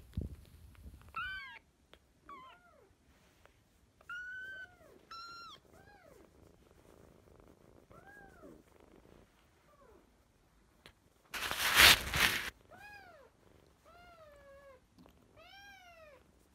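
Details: Kittens, sisters fostered in spring 2017, meow again and again in arched, falling cries, some high and short, others lower and drawn out, with a loud rustling burst near the middle.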